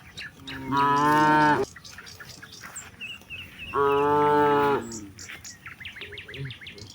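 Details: Evening in wide rice fields where hundreds of cattle graze, a cow lowing to summon its companions homeward; two steady harmonic moos about three seconds apart, followed by bright repeated bird chirps.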